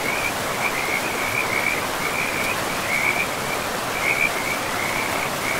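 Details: By a river deep in a moss-covered forest, a frog gives a long series of short, high pulsed notes, roughly two or three per second, steady throughout, set against the constant broadband roar of the river.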